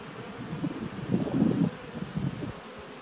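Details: Honey bees at a nucleus colony started in 2017, recorded on 19 September 2018: a low humming buzz that swells to a louder, rougher burst midway, then fades back, with light rustling underneath.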